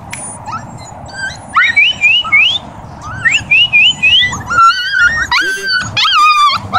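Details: Siberian huskies of one family in Oregon, puppies among them. High, squeaky whines rise and fall in quick repeated slides, then turn into sharp, yelping cries near the end. A faint background hiss runs throughout.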